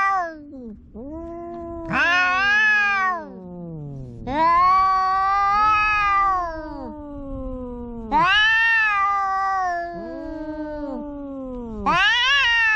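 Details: Kitten meowing loudly and insistently, five long drawn-out cries over about thirteen seconds, each starting high and sliding down, with brief low moans between them, indoors.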